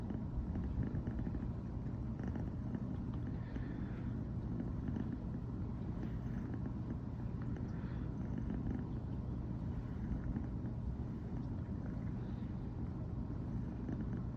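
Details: Riri, a brown tabby female American Shorthair born 15 September 2020, keeps up a morning purr after first sharing a bed; a dense, low, droning rumble continuing without pause.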